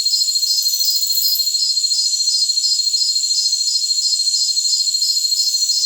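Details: Jungle crickets give high, pulsed chirps that repeat steadily, nearly three per second, over a continuous shrill insect hum.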